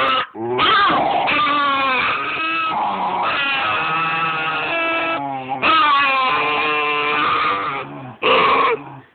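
Basenjis trade wavering, yodel-like howls with warbling pitch as they greet one another.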